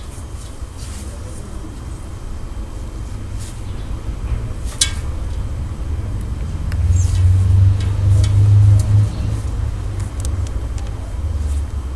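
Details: Low urban traffic rumble with a passing vehicle swelling midway and a brief click, but no animal sound.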